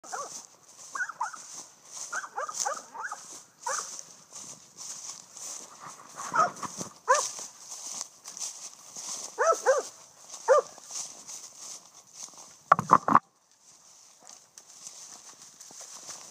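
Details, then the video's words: Eight-month-old female Blackmouth Cur, from a line bred as tree dogs, treeing a squirrel: repeated short, harsh barks and bays in quick bursts, some clustered in rapid series, over a steady high insect-like hiss. "8 month old BMC Treeing a squirrel"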